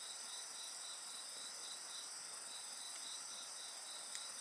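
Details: Continuous shrill insect voices accompany a crackling bonfire; a fast, even series of high pulses rides over a thick, bright chorus, with a brief snap of wood near the end.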